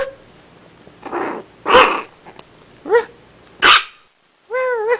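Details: Chiweenie puppy with a few short, scratchy barks, then squeaky rising yelps, a pause, and a thin wavering whine to close.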